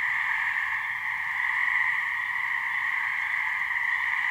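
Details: A couple of gray treefrogs calling to attract mates from a New Hampshire swamp, their trills merging into one constant, even buzz that holds the same pitch without pause.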